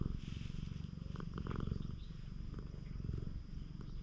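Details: Cat-island stray being stroked, filmed on a GoPro HERO8. A dense, low purr throbs steadily throughout, with light scratchy contact sounds from the hand near the middle.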